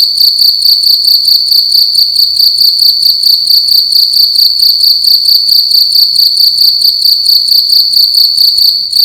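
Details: Night-time cricket in a room, a sharp high-pitched chirping in fast, regular pulses that runs on without a break for about nine seconds, the only sound present.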